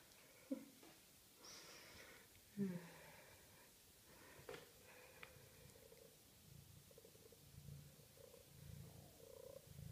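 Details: Maine Coon cat kept at a cattery, purring in a low, rough rumble that swells and fades in uneven pulses through the second half, after a couple of short high chirping meows near the start.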